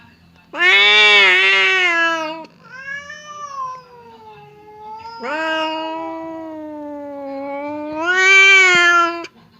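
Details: Domestic cats Temon (aggressive) and Lelo (calm) in a standoff, a partition stopping the fight: a run of harsh, loud, drawn-out yowls, bright and raspy at the peaks, alternating with lower sustained moans.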